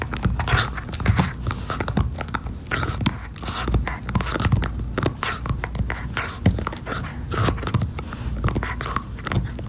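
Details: French Bulldog indoors chewing a beef-flavored Nylabone chew toy: dense, irregular crunching and gnawing clicks mixed with soft, rhythmic breathy panting, steady throughout with no other sounds.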